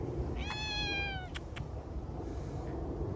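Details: Feral cat in a park with a thick winter coat: a clear, slightly falling meow lasting under a second, followed by a few soft clicks and quiet outdoor background.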